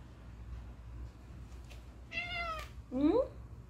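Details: House cat conversing with its owner indoors. A woman's voice asks a question, answered at once by a single short, upward-sliding meow.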